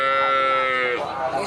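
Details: Madura cattle, a red Sapudi cow at a cattle sale, gives a loud sustained moo with a steady harmonic tone that breaks and falls near the end; faint background music.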